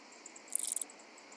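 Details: Handsome Cross Grasshopper (Oedaleus decorus) on Cres, Croatia, 27 July 2023, picked up through an ultrasound detector: one brief, quiet, high-pitched rasping burst of about a third of a second, made of rapid pulses, against faint background hiss.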